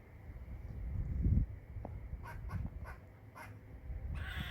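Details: Squirrel chirping: a short series of sharp, clicky chips about every half second, ending in a harsher, noisy rasp, over a steady low rumble.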